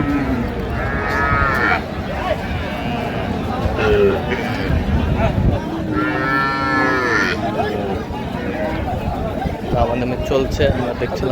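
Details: Cow with calf at Raniganj cattle market in Dinajpur, 17 November 2025: drawn-out harmonic moos, a low one near the start and a longer, fuller call midway, over steady market chatter and men's voices haggling.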